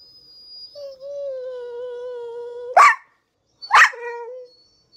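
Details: A pit bull watching squirrels on television gives a long steady high whine, then two sharp barks close together; no other sounds.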